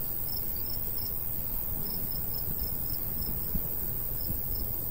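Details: ['Cricket in summer countryside near a golden wheat field; faint high chirps pulse intermittently beneath stronger low wind rumble from the light breeze.']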